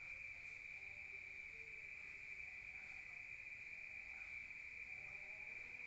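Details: Rural night crickets heard from indoors give a continuous shrill trill at a fixed high pitch, steady for the whole stretch, over soft low background rumble.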